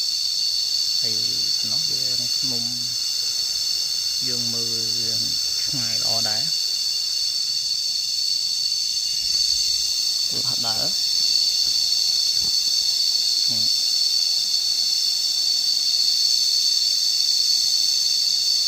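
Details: A continuous high-pitched cicada drone, even and unbroken, fills the whole recording, heard while out walking and lying down to listen. Several short spoken phrases break in during the first half, then the buzzing carries on alone.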